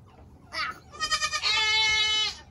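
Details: Loud baby goat kid on a farm at the end of the 2022 kidding season, giving a long, steady, nasal bleat held for about a second after a brief lead-in cry, with faint background music.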